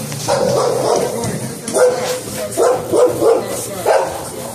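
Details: Barking from a dog in bite sleeve training, from a household of an XL American Bully male and an American Bulldog hybrid female; irregular bursts of short, harsh barks over a steady noisy background.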